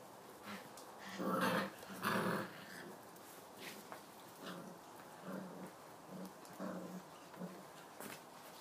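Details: Tibetan Mastiff puppies of the Kyang La line, born 14 November 2016, recorded indoors on 22 December 2016: two loud low growling bursts, then a series of shorter soft grunting yelps spaced about a second apart, with faint voices and clicks.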